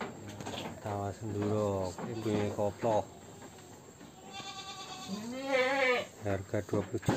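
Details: Peranakan Etawah goat from Wonogiri, described as the biggest, giving wavering harmonic bleats, a low one near the start and higher quavering cries later, with a steady low hum and music underneath.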